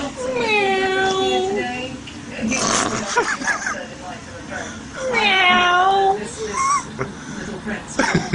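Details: Cat heard by a baby who makes a sour face at the sound: two long, drawn-out, wavering meows, each falling then rising slightly, about four seconds apart, with brief rustling and a short higher squeak between them.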